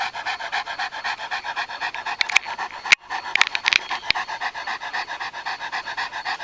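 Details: Japanese Tosa Inu, purebred, panting while mating: evenly spaced hoarse breaths in a quick regular rhythm, with a few sharp clicks and knocks in the middle.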